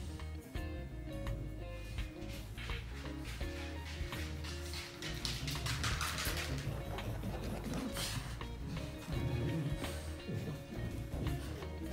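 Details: Background music with guitar and a few taps indoors fills the recording, and no bark or other animal voice stands out.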